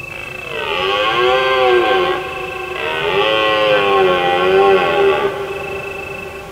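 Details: Deer roaring at night in autumn under a full moon, in a secret spot beyond the hills of Provence; two long, drawn-out bellows whose pitch swells and then sags, each lasting about two seconds, with faint cricket trills behind.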